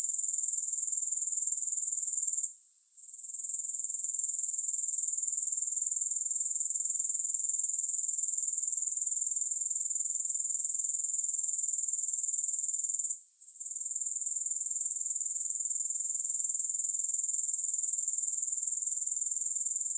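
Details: Grasshoppers trilling in a relaxation soundscape: a persistent shrill, high-pitched stridulation pulsing rapidly and evenly, broken by two short silent dips before carrying on at full strength.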